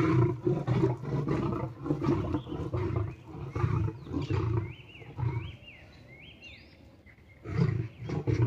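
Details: A lame lion clashes with a tiger and makes it submit: a dense run of rough growls and roars, a lull filled by repeated rising-falling bird whistles, then renewed snarling at the end.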